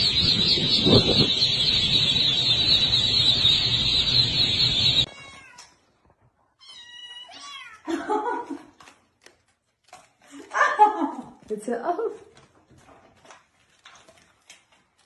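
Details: Domestic cat or kitten indoors: after five seconds of steady hiss-like noise, short high meows rise and fall in quick succession. Softer, lower mewing bursts come later, separated by quiet gaps.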